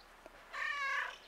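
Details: A cat greeting with a single drawn-out meow lasting about half a second, a steady, slightly wavering tone rich in overtones, after a soft tick; a quiet setting with no other sounds.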